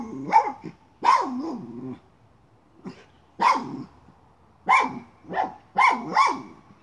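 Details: A miniature schnauzer chasing a chipmunk, working at a pipe, gives irregular loud barks, single and doubled, some drawn out with a gruff growling tail, and brief quieter gaps between.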